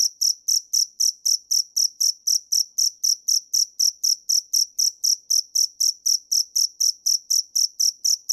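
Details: A cricket (dế mèn) calling in quick, evenly spaced chirps, around four each second, every chirp a short buzzy high trill of equal strength; quiet background.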